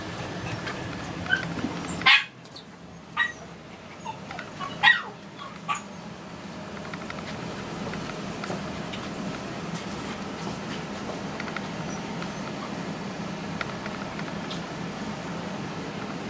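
A Toy Poodle puppy lets out several brief, sharp yips and thin whimpers, bunched in the opening seconds. After that only a low, steady room hum remains.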